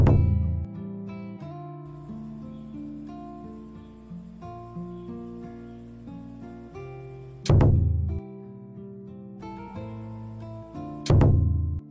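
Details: Plucked acoustic guitar music plays with a steady melody, broken by two loud thumps near the middle and end, and no animal voice can be made out.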